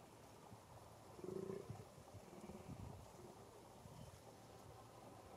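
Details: Fallow deer in rut in a small enclosure in Český ráj, Czech Republic, 2021: a single brief, deep groan with a rough pulsed texture, followed by soft low rumbling and rustling.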